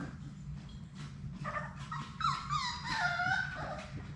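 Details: Labrador Retriever puppies, one of Sadie's litter of six, playing in a puppy play room: thin, high whimpers and whines, a few drawn-out wavering tones building after the first second, over constant scratching and shuffling of paws.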